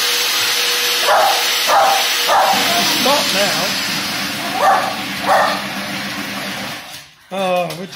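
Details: Lakeland Terrier Georgie, 14 years old, barks in short bursts about every half second to a second at household machines, amid a loud appliance hum and a person's voice.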